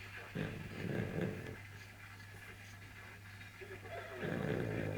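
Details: Pug snoring loudly indoors and keeping a cat awake; a low rumbling snore swells in two long bursts at the start and end, with a steady low hum beneath and faint household noise.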